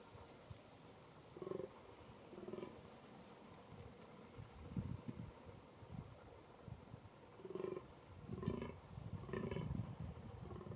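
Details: Fallow deer during the 2021 rut in a small game enclosure in Bohemian Paradise, Czech Republic: short, low, belching groans at roughly one-second intervals, in clusters near the start and again toward the end, over rustling outdoor background.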